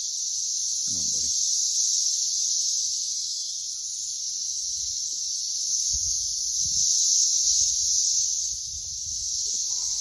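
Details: Dense Brood X periodical cicada swarm around a tree, a high, steady buzzing screech that rises and falls gently in loudness, with scattered low rustles and thumps.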